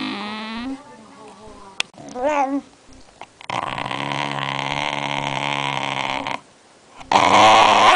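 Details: Basenji, sleepy and angry at having a camera pointed at it, voicing a rising whine, then a long, rough, drawn-out grumbling growl lasting about three seconds, ending in a louder harsh burst.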